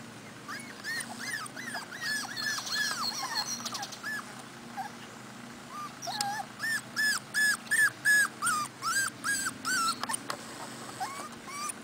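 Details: 4-week-old Cardigan Welsh Corgi puppies on their first time outdoors with their mother, in Sweden: high, arching whimpers and yips, several voices overlapping.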